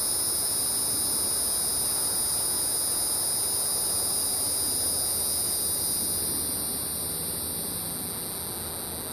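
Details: A hieroglyphic cicada (Neocicada hieroglyphica) calls from a pine tree overhead with a steady, high-pitched, hissing buzz that barely changes, recorded 12 July 2010 at 8:11 PM in Manchester Township, New Jersey.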